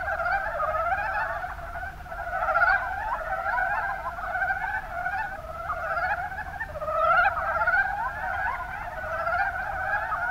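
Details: Chorus of mountain brown frogs in Japan's Kuma Basin, Kumamoto Prefecture. Gurgling, pulsed croaks overlap continuously, with clusters of louder calls around the third and seventh seconds amid a constant chattering background.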